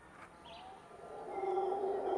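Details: In Costa Rican jungle near Montezuma, by a seasonal stream, a howler monkey in the trees gives a low, grating howl that starts faint and builds over a couple of seconds, over soft forest background noise.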